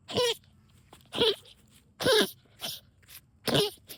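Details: A female dog gives harsh, snorting goose-like honks in short bursts, roughly one per second, out of excitement while digging and hunting moles in backyard trenches.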